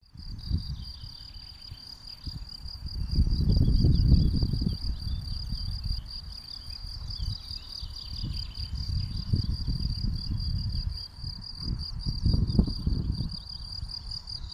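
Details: A field cricket sings from its burrow in warm weather on open, sparse ground under power lines in the Vossenberg nature reserve, Dilsen-Stokkem: a steady, high, rapidly pulsed chirping over a low rumble of wind.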